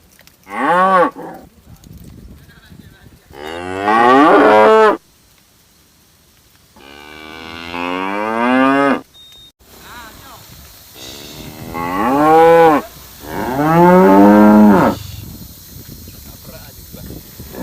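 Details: Cows and calves low again and again, a series of wavering, pitch-bending moos of varying length, some sliding up and down, with short silences between them.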